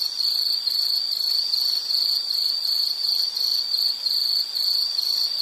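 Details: A high-pitched insect trill runs without a break, throbbing in short, even pulses under a soft hiss of background noise.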